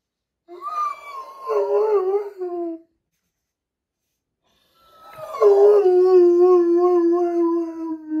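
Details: A big Doberman cries while its sister is in surgery, giving two long, wavering, harmonic howls: a rising and falling wail lasting about two seconds, a pause of silence, then a louder, steadier moan that gradually sinks in pitch.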